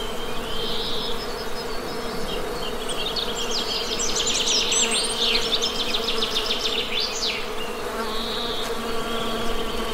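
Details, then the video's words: Honey bee buzzing forms an even, low, layered hum, joined midway by a burst of fast, twittering birdsong high above. "Best Honey Bee Sound!"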